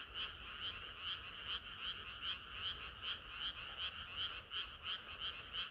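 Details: Hot summer night frog chorus: a run of pulsed croaks, about three per second, uneven as several frogs alternate and overlap, carried over a quiet low background drone.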